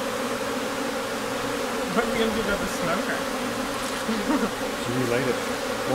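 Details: Steady hum of a honey bee colony preparing to swarm, recorded in May in Newfoundland with heavy flight at the hive; people talk over the drone.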